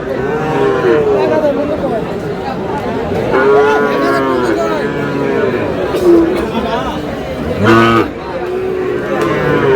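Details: Sahiwal bull calves at Aftabganj cattle market in Dinajpur, Bangladesh, on 13 June, sold as trading begins: several drawn-out, harmonic moos at intervals over steady crowd chatter and bargaining voices.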